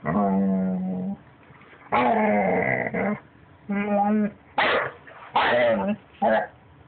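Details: Pet puppy vocalising oddly, seemingly trying to talk: a string of long, tonal, howl-like whines, some steady and some wavering, broken by shorter yelping bursts, with quiet pauses between, indoors.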